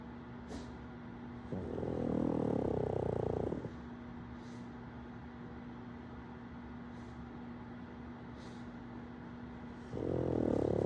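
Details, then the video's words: Pug named KingPug snoring while pug puppy Wolverine plays in the background: long grating snores, one lasting about two seconds and another starting near the end, over a steady low hum with faint clicks. "KingPug snoring while pug puppy Wolverine plays in the background."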